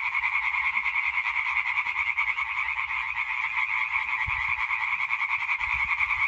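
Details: European tree frog chorus recorded 20 May 2023, dense fast-pulsed croaking from numerous frogs forming a steady grating drone; a brief low knock or thump occurs near the middle.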